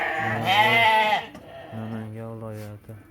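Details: Sheep at a crowded livestock market in Uzbekistan, with ewes and rams among about 700 head on sale. One loud, wavering, nasal bleat lasts about a second. A man then talks steadily over the pen noise.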